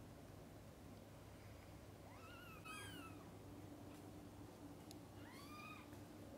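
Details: Mother cat feeding and bathing her kittens indoors; two high, arching mews with bright harmonics, one around two to three seconds and another near the end, over a steady low hum.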